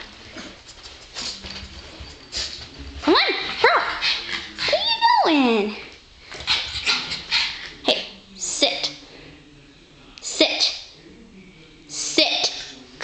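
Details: Young female puppy doing simple tricks such as sit and jump; a few high, wavering whines with sharply bending pitch, then short clipped yelps, mixed with a person giving commands and praise.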